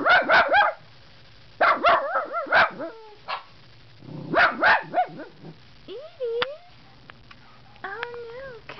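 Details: Two pet dogs guarding their owner against puppies outside the house, one trained to "yodel": bursts of sharp barks in clusters, then wavering, rising-and-falling yodel-like howls, with a person speaking softly between.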